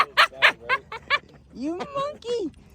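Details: A dog at a park makes "monkey sounds" on cue: a quick run of hooting yips like monkey chatter, then wavering whiny tones, with human voices.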